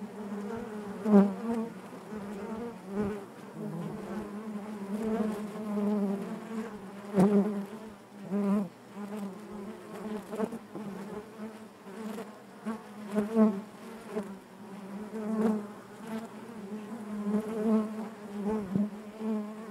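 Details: Honey bees buzzing inside their hive, a dense steady drone centred low with stacked harmonics, swelling and fading in waves with brief louder surges from individual bees passing close, no other sounds.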